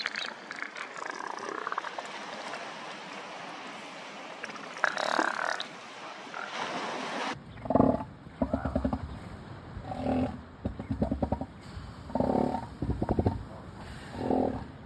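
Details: Juvenile and young southern elephant seals on the beach at Sea Lion Island, Falkland Islands, in December. A rough, noisy opening gives way to gurgling, pulsed roaring bursts repeated every one to two seconds over a steady low background hiss.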